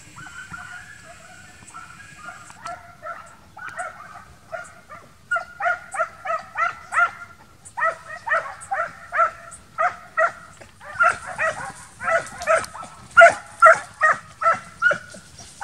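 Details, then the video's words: Young Transylvanian Hounds training to hunt wild boar in midsummer, barking in a rapid chorus; after quiet opening yelps, sharp barks come several per second, growing denser and louder, with multiple dogs overlapping. "Κυνήγι Αγριόχοιρου: Transylvanian Hound Dogs"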